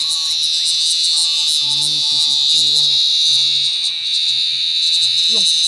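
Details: Captured giant cicada from a field hunt giving a very loud, unbroken shrill buzz with faint rhythmic pulsing, and short bursts of Indonesian speech nearby.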